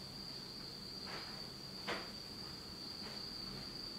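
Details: Autumn insects in Japan, heard in total darkness at night, keep up a continuous shrill ringing tone at one high pitch, with a few soft scattered clicks around the first and second seconds.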